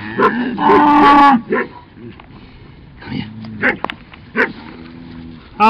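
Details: Cattle herded by two dogs, a Cattle Dog among them, and kept to a slow pace: a loud, harmonic-rich moo opens the recording, followed by quieter lowing and scattered sharp dog barks.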